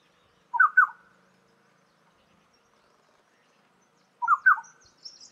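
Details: A barking deer in the Himalayas, apparently smelling something, gives short, sharp, mid-pitched barks, each a quick double note, spaced several seconds apart.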